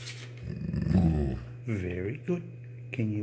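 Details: A 21-month-old male Rottweiler being trained to "whisper" gives a soft, hushed bark: a jaw snap and low grumble followed by short breathy moaning notes.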